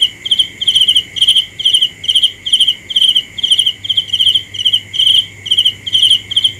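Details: Cricket calling with clipped, high, pulsing chirps about twice a second, fairly regular, set against an unbroken shrill background hum.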